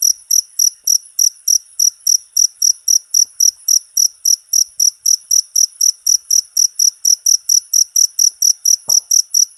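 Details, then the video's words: Jangkrik, a cricket, in a short recording meant to train all kinds of cage birds: shrill, evenly spaced chirps in a steady run, about four per second, with a faint tap near the end. "MP3 JANGKRIK,COCOK UNTUK MASTERAN SEMUA BURUNG..!!!"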